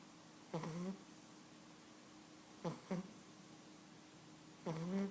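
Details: An 11-week-old Cavalier King Charles Spaniel puppy named Sprockett snores while asleep indoors: three short, buzzy, tonal snorts with a wavering pitch, about two seconds apart, over a quiet room hum.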